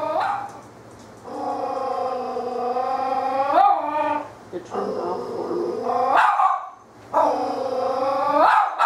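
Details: Frightened female puppy hiding in a hallway of a shop, barking at a fake toy cat named LuLu: long drawn-out harmonic howl-barks about a second and a half each, ending in rough rising bursts, with a woman's coaxing voice.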